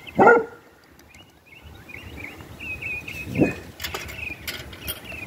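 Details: Basset Hound barking during an argument, outdoors: a loud deep bark at the start, a second bark about three seconds later, with birds chirping steadily in the background.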